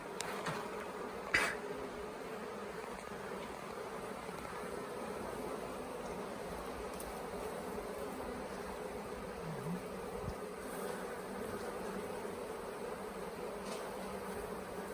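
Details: Honey bee swarm that had stayed several days on the grounds of the Tamarind Tree Hotel late in the year, being caught into a nuc box; a dense, steady humming drone with one sharp click early on.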